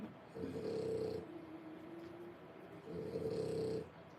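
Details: Three-week-old French Bulldog puppies, born 1/10/25, in a whelping setting: two low, rasping snore-like breaths, each about a second long, separated by a quieter, softer breath in a hushed room.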